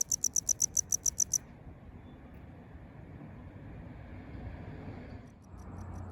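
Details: Tropical house cricket in Okinawa, a male singing from roadside gutters or concrete cracks, calling almost year-round in town. Rapid bright high-pitched pulses, about eight in a second and a half, then low rumbling background before faint chirping returns near the end.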